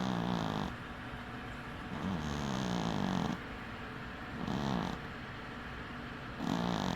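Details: Dwarf cat Winky asleep with one eye open, snoring steadily. Four buzzy, droning inhalations come roughly every one and a half to two seconds, each a low rasp with a faint wavering tone, with soft breathing between them.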